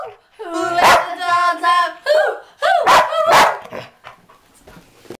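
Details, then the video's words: Very loud sheepdog singing along to "Who Let the Dogs Out" at 2 in the morning; wavering, sliding howls with bright harmonics and sharp accented bursts, fading out near the end. "Sheepdog sings to "who let the dogs out""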